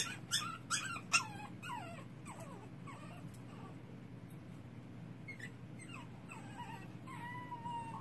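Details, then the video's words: Baby puppy in the dark whining: a cluster of sharp high yips at the start, then softer drawn-out whimpers, ending in a long thin level whine, low hum beneath. "Baby puppy crying in the dark."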